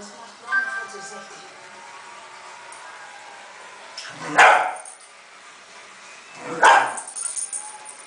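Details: A Cairn Terrier playing with a balloon produces two sharp, explosive barks a little over two seconds apart after a quiet start, with faint voices in the background.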